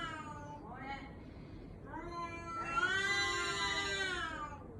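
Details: Baby-like crying from a cat: two brief meows, then a long, loud, strained meow that holds a steady pitch for nearly two seconds before fading.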